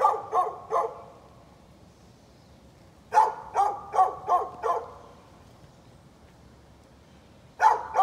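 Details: Barking from a neighbor's dog, recorded 13 November 2020: quick runs of loud barks, three in a row, then five in fast succession after a lull, and a final pair, over quiet background.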